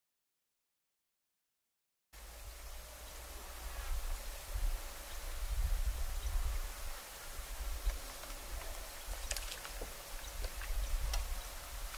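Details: Low outdoor rumble and faint background noise with a few scattered ticks, and no clear animal call.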